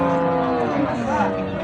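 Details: Cattle at Ambari cattle market, a weekly market held Fridays and Mondays, where bulls and beef cows are sold; a brief low drawn-out moo under steady crowd noise and bargaining voices.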